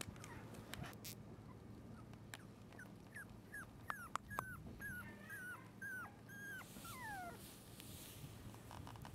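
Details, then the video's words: Red female Shiba Inu puppy, 32 days old, at a breeder's kennel: thin, high whimpers that slide downward, scattered then coming in a faster run of about a dozen, over a low steady hum and soft clicks. "柴犬 赤柴 メス 子犬 生後32日目 shiba inu"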